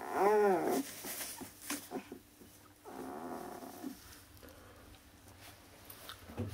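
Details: Akita puppies born 16 November, indoors in Hungary, sired by a Japan-born Akita named Kotono Go: one clear rising-falling whine at the start, then quiet shuffling and faint rustles.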